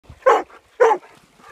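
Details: Labrador Retriever guide dog named Hetty at Sunday playtime in mud: two short, sharp barks about half a second apart, each a bright harmonic burst, with near silence around them.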